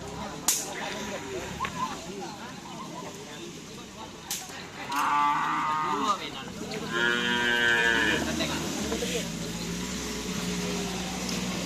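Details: Bulls training for karapan sapi racing at the Asemanis field, Pamekasan, team Singo Barong (Can Macanan) present; two rich, resonant moos come in the second half, each lasting about a second, with sharp claps and a murmuring crowd behind.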